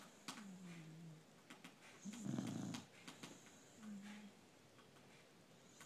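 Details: Beagle snoring while lying on its owner indoors: soft whistling nasal tones, then a louder rough, rasping snore lasting about a second, followed by another faint whistle, with scattered light clicks and rustles.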